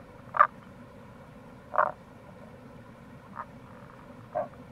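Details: Tago's brown frog near a gorge on the Kamo River, Itoshima, Fukuoka, in April, croaking four times at roughly one-second intervals, low grunting notes over steady stream noise.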